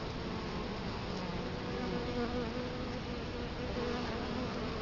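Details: Bees buzzing in front of an Italian honey bee hive entrance, Colorado Springs, October 2011, camera placed right at the opening: overlapping steady low hums with wavering pitch, continuous beneath constant hiss.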